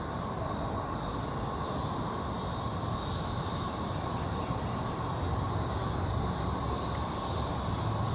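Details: A dense chorus of periodical cicadas (Magicicada, Brood XXIII) in Jackson, Mississippi, in 2015 makes a steady, high, shimmering drone with a lower buzzing hum.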